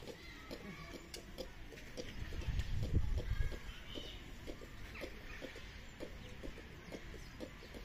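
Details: At Tierpark Ströhen, a ring-tailed lemur (Lemur catta) makes brief knocking grunts in an uneven rhythm, with a louder low thump near the middle and a few higher squeaky notes.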